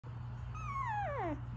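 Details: Pomsky puppy among several lying together in a puppy pile, giving a single drawn-out whimper that slides downward over about a second, with a steady low hum underneath.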